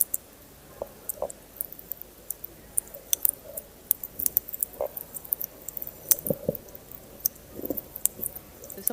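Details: Snapping shrimp recorded by hydrophone underwater on a reef: sharp, crackling high-frequency clicks scattered throughout, with low grunting fish sounds and a cooing fish call beneath.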